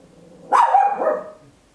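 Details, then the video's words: A single loud, sharp bark from a tiny Papillon dog, recorded indoors at home in stereo with an Olympus LS-11; a bright burst with a short tonal tail fading after about a second, over a quiet background. "Tiny Dog Barking Very Loud, Papillon"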